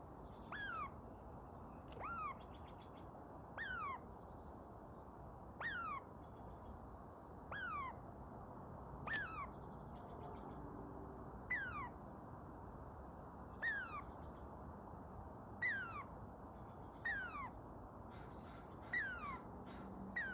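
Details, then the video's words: Squirrel up a tree after eating a whole pine cone and reacting to a dog's barking. It gives about twelve short squeaky calls that drop in pitch, one every one and a half to two seconds, over a steady background hiss. "How Squirrel Eats, Reactions, and Makes Calling Sounds"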